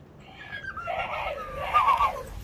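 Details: Staffordshire Bull Terrier singing a new song while its owner sits having coffee: a drawn-out, wavering howl that swoops down and back up, growing louder toward the end.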